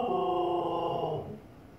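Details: Female Siberian Husky indoors barking at her own reflection in a fireplace: one drawn-out, tonal, moaning vocal lasting about a second, steady then slightly falling, fading away into quiet room noise.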